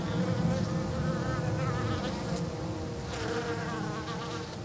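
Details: Honey bees of a hygienic Minnesota line buzz thickly around the hive south of St. Paul on March 16, first warm day of the season; a low continuous drone with wavering, rising and falling overtones.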